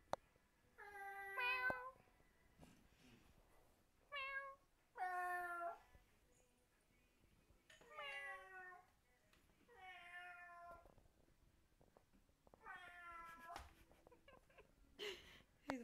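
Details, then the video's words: Fang, a pet cat, keeps replying to people's fake meowing with odd, deranged meows. Six or seven short harmonic meows come in bursts across the room, some with falling pitch, separated by quiet gaps. "Cat Meowing"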